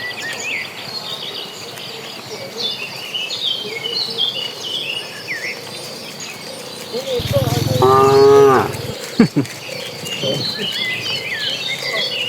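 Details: Dozens of cattle on the move toward green pasture; high bird chirps continue throughout, then one loud, low, harmonic moo rings out for over a second, followed by a sharp knock or thump.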